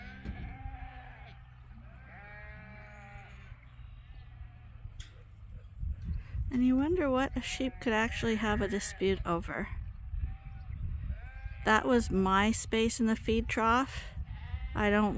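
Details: Morning pile-up of sheep at Ewetopia Farms, the flock waiting to be released onto spring pasture for the first time this year; faint calls at first, then a chorus of loud, shaky, overlapping bleats that keeps going.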